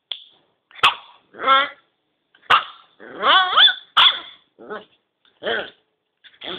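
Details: Male Kintamani dog puppies yapping and whining: sharp clicks, then harmonic rising-and-falling yelps and short barks in uneven bursts, some wavering whines between, loud and close.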